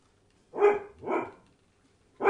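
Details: Entlebucher Mountain Dog puppies, 33 days old, from a litter born 26 September 2015: two short high yelping barks half a second apart, then a third beginning, indoors.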